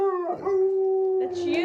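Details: Alaskan Malamute named Fish, recorded when young, holding a loud, steady, pure-toned howl at an even pitch, with a brief break partway through and a short rustling noise near the end.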